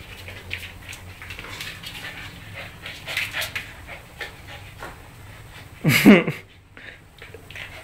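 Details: Two dogs, Riley the 10-week-old Siberian Husky puppy and Will the year-old German Shorthaired Pointer, tussle for dominance at home. Soft rhythmic panting builds, then a sudden loud yelp-like burst near the end before quieter breathing.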